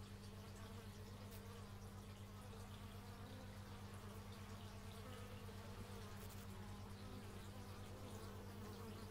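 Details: Steady low drone of many bees, recorded in stereo using an x/y microphone, holding an even pulsing hum throughout with faint rustling above it.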